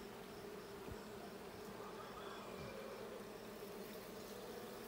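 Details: Blue hive honey bees, hive check of 20 June 2022, giving a constant massed buzz; the low droning texture holds steady throughout, broken only by a couple of faint knocks.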